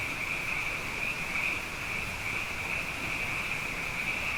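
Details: Frogs abundant after two wet years call at night in a thick, high-pitched chorus, steady and unbroken, over a noticeable bed of low rumbling background noise.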